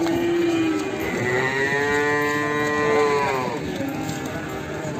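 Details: A Limousin calf from Ambarketawang, Sleman gives a single sustained moo. It holds a steady low tone, then swells brighter in the middle before fading, over a constant noisy background.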